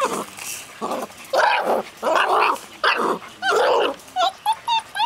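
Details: Caged six-week-old Golden Retriever puppies from a breeder's litter give a rapid series of yelping, whining cries. Some are drawn out and harmonic-rich, and short squeaky yips close the sequence, about ten bursts in five seconds.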